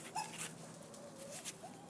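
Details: Puppies from a Lucky and Amber litter at play time give a thin, high whining whimper that rises and wavers, with a fainter drawn-out whine after it and soft shuffling noise.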